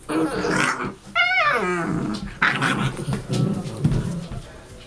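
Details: Seven-week-old Saint Bernard and Newfoundland cross puppies from a December 2013 litter, rough growling and scuffling noises with a sharp falling whine-yelp near the start, several overlapping bursts of play sounds.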